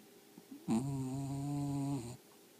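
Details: Dog asleep and snoring: a single steady, nasal, buzzing snore of about one and a half seconds with even harmonic tone, in a quiet room.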